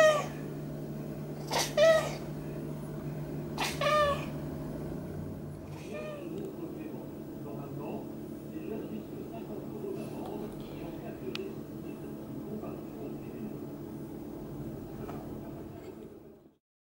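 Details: A Maine Coon cat gives two short, harmonic meows early on, then quieter faint vocal sounds while getting a massage.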